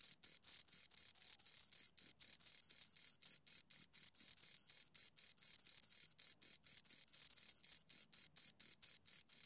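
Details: Pair of crickets stridulating near the microphone: rapid, evenly spaced high-pitched pulses, roughly five each second, forming a steady ringing chirp with a faint upper harmonic, nothing else audible.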